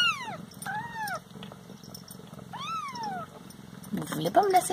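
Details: Domestic Siamese cats at home: three drawn-out, tonal meows, the first sliding downward and the later two rising then falling in an arch, with soft background murmur and a burst of voice and clatter at the end.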